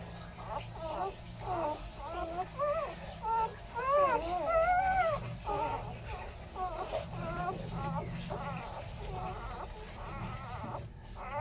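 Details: Newborn Labrador and Chow Chow cross puppy crying in a long run of arched, whining squeals, about one or two a second, some louder and higher around the middle, over a steady low indoor hum.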